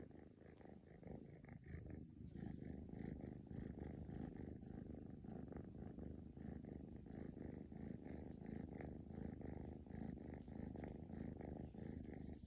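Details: Male straight-eared Scottish Fold kitten, born March 2020, purring while playing: a steady low rumbling drone with fast pulsing throughout, unbroken for the whole stretch, no other sounds.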